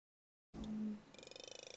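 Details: Southern Resident killer whale echolocation used to detect and chase Chinook salmon: a quick, even train of sharp clicks that speeds into very fast clicks at the end, sounding like a buzz.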